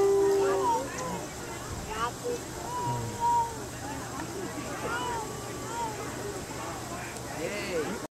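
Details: Arctic wolves at a zoo pause in their morning romp to howl in a chorus, long smooth tones rising and falling over one another.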